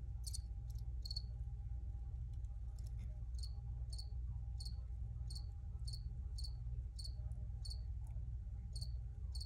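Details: Crickets chirping in a fairly even series of sharp high pulses, about one and a half per second, set against loud continuous low droning background noise.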